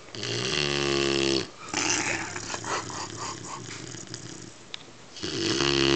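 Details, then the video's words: Bruce V, a sleeping Weimaraner puppy aged 12 weeks, lets out a long, droning, growl-like snore, then a pause of gentle breathing, then another strong snore building at the end. "Weimaraner Bruce V snoring"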